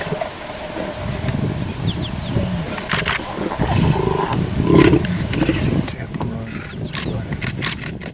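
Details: A lion cub nursing from its mother at Sabi Sabi, South Africa, gives low, rough growls at the teat, under quiet human voices and a faint engine hum.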